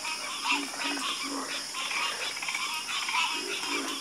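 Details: A dense frog chorus with loud, overlapping, buzzy croaks that pulse several times a second, accompanied by a steady high insect drone.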